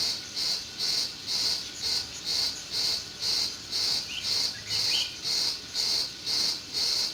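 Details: Crickets in a meadow in June chirp in a very regular rhythm, high piercing bursts roughly every half second, with a faint bird note midway.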